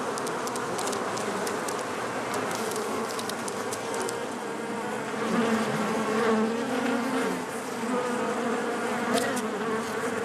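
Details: Honey bees inside a hive, in a colony where a single bee with strong genes becomes queen. A dense, steady droning hum with low tonal bands swells slightly midway, and faint ticking clicks run throughout.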